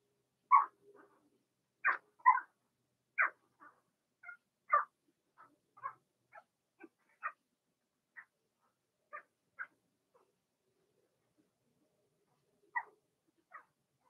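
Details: Young Blenheim Cavalier King Charles Spaniels, part of a six-puppy litter born in March, kept in a home puppy pen. Scattered short, sharp yelps, some doubled. A quick cluster comes first, then thinning calls with pauses of up to two seconds, in a quiet room.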